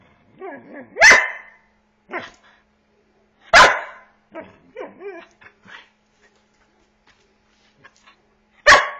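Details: Border Collie named corVata, 8 months old, asking to play: three sharp loud barks spaced about two and a half seconds apart, with softer whining, yelping calls between them.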